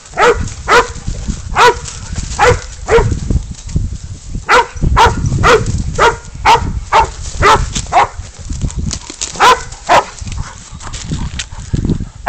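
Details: Pig dog named Spud baying up a goat in a catch-and-release hunt, barking steadily and insistently, roughly two barks a second throughout, over continuous low rumbling and handling noise.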